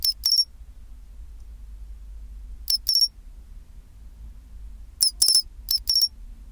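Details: Pine cricket song, chinchiroririn, at 24°C: clusters of sharp high tinkling chirps, mostly in pairs, arriving irregularly every two to three seconds, with a steady faint low hum underneath.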